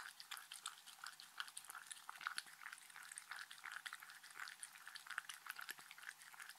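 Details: Shetland Sheepdog named Mindy eating dog-friendly treats indoors, steady crunching and chewing with quick irregular bites and clicks throughout, no talking.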